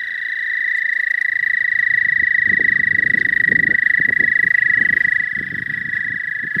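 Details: American toad in spring in the southern half of the state, giving a long, steady, high musical trill that runs unbroken through the whole recording, with a low rumbling, clattering background underneath.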